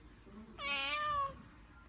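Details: Domestic cat giving a single drawn-out meow of under a second, richly harmonic and steady, then dipping slightly at the end, in a quiet indoor room with no other clear sounds.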